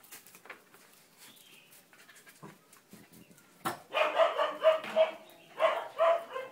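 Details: Male blue merle Border Collie puppy, four months old, giving a run of short harmonic barks and yelps in the last three seconds, after quiet clicks and soft handling noises with a person's brief urging.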